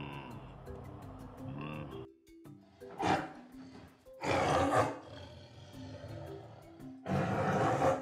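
A leopard gives harsh, rasping roars in bursts a second or two apart, after a tonal opening.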